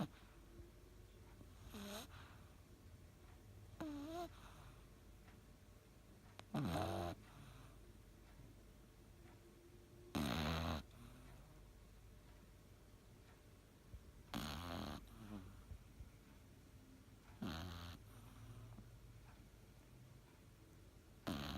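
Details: Elu, a Cavalier King Charles Spaniel, snores through an afternoon nap indoors. Raspy, wheezing breaths come roughly every three to four seconds, some with a short nasal whistle, over a low room hum.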